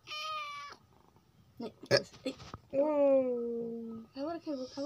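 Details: A domestic cat gives a clear steady meow, then after some clicks a longer level meow slowly falling in pitch, followed by short chirpy meows, with background music and a person speaking.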